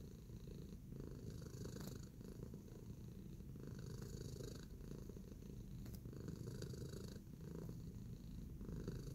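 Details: Tacy, a pet cat in a relaxed kneading mood, purring indoors: a steady, low rumbling purr runs throughout, with soft scratchy ticks from the kneading now and then.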